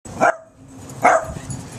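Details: Charlie, a Chihuahua, being chased in play by other dogs, a long-haired brown dog and a small black Dachshund, in Ventura, California, on September 29, 2012: two short, sharp barks about a second apart over a soft, hissing background.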